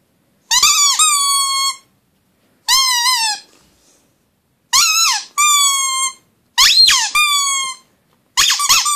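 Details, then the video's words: Pug howling indoors: five drawn-out, high, wavering cries, each about one to one and a half seconds, some broken into two parts, with short silences between them. "Howling pug"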